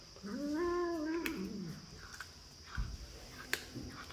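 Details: Domestic cat uttering one clear, arching meow lasting about a second, followed by quiet clicks and taps in a small room.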